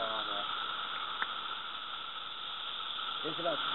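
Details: Brood II Magicicada periodical cicadas, North Edison, New Jersey, 2013, fill the air with a loud, unbroken droning chorus measured at 109+ dB, about six right overhead; people talk briefly over it.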